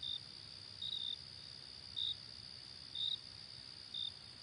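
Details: Cricket sounding five short high chirps, about one per second, over a faint continuous high trill.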